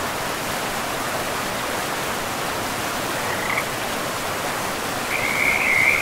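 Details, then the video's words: Frogs by a river in a pristine forest; after a faint single chirp, a louder burst of rapid, trilling chirps closes the stretch, all above steady rushing water. "River and Frogs sleep sounds"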